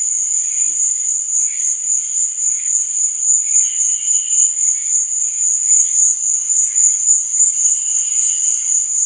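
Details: Crickets chirping at night: a steady, very high, shrill trill that swells and fades about four times a second, with fainter, lower chirps drifting in and out behind it.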